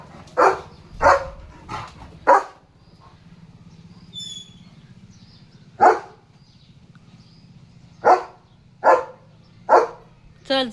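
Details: Leo, a German Shepherd, guards the gate in the morning, barking at a passing dog and cow: clusters of sharp barks, a quick run of four, a lone bark after a pause, then four more, over a low hum.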